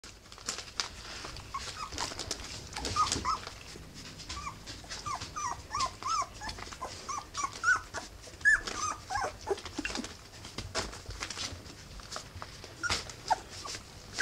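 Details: Three-week-old Rough Collie puppies in a litter, many short high squeaky whimpers and yelps overlapping throughout, with rustling and clicking noises indoors.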